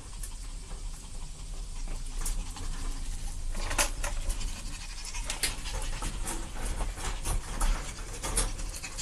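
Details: Pair of puppies playing, rapid rhythmic huffing pants repeated several times a second over a low, steady rumble of background noise.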